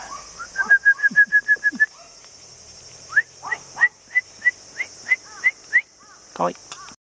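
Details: Long-haired Chihuahua puppy, male, 48 days old, cream and white, about 480 g, recorded on 2 September in Nara, Japan. Rapid runs of short, sharp, high yips, about eight in under two seconds, then a slower series of squeaks.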